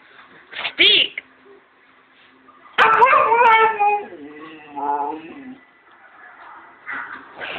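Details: A Siberian Husky answers the spoken command "speak" with long, harmonic, woo-like howls that slide downward in pitch. A shorter wavering cry follows. This is talk-like vocalizing to ask for treats.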